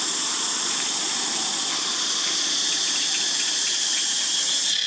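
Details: Cicadas fill the air with a loud, steady, high-pitched buzzing drone that never lets up, in an archaeological park where monkeys live.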